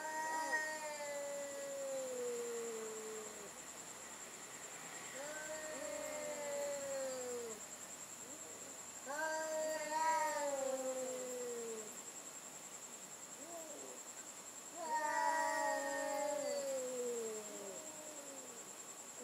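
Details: Cats in a nighttime sound battle: drawn-out wailing yowls that slide downward, in bursts about every five seconds with quieter gaps between, over a steady thin high whine in the background.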